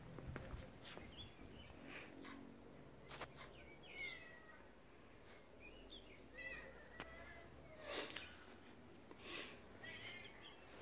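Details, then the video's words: Once-wild, spayed mother cat guarding her two kittens' safety on a property shared with rescued tigers, outdoors near the fenced tiger area. She gives several short, thin meows that rise then fall, spaced every one to two seconds, with light background rustle. "Mother cat looking out for kittens safety by the tigers"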